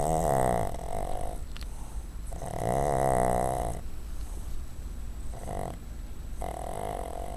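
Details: Pet dog sleeping on a desk where she comes every day, snoring: low rumbling buzzy breaths in long drawn-out pulses roughly every two to three seconds, with a steady background hum.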